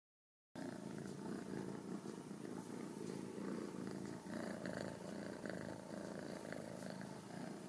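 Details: Ragdoll kittens from a home cattery in central Kansas, raised without cages; a steady low rumbling purr runs continuously after a brief silent start, with faint rustling and small clicks above.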